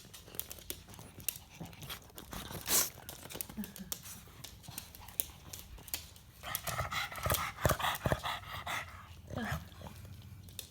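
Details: An 11-year-old pug making its natural sounds: scattered soft clicks and snuffles, then a burst of raspy, nasal snorting breaths lasting about two seconds, followed by a few more sniffs.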